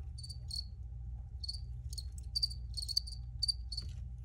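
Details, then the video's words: Crickets chirp in scattered short bursts, sparse at first then denser, each pulse high and clipped, with a low steady hum underneath throughout. "Free Cricket Sounds"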